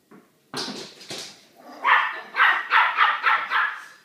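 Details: A small dog yaps at a large dog called Manolo, who sits behind a door; rough, noisy opening barks give way to a fast series of six yips, roughly two per second.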